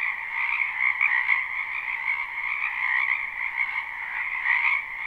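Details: Croaking frogs of a spring wetland, recorded live and unlooped, form a dense continuous chorus of buzzy trills, the higher band briefly brightening near the end.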